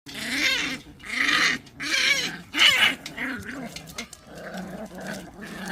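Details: Pungsan dogs in a fight over rank, snarling in harsh, raspy bursts roughly every second, with rough high-pitched edges and short quiet gaps between outbursts.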